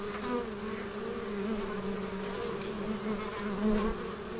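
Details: Steady humming of bees among the plants of the Biblical Gardens, Elgin, in Moray, Scotland; a low, even drone from several wings, with small swells in loudness near the end.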